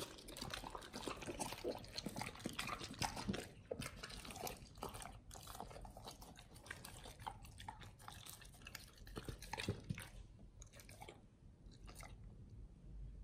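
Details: Pit Bulls on a raw diet chewing a raw beef shank combo with cow liver, green tripe, duck wings, strawberry and turmeric: dense, wet crunching and tearing bursts, nearly continuous, thinning toward the end.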